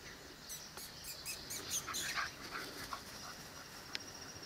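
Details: Seven-week-old Presa Canario and Cane Corso puppies whimpering: thin, high-pitched squeaks repeated rapidly, roughly twice a second, in uneven bursts over faint background hiss.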